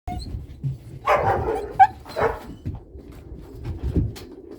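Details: Cane Corso puppies, apparently indoors, giving a few short yelps and a brief high whine in the middle, over low rumbling and shuffling noise.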